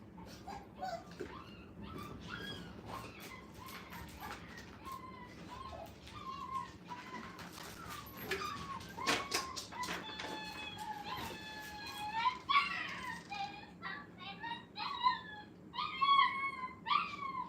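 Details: Five-week-old Brittany puppies in a playpen for the first time, giving high-pitched whines and squeaks that start sparse and grow busier, overlapping short wavering cries toward the end, with knocks and clatter indoors.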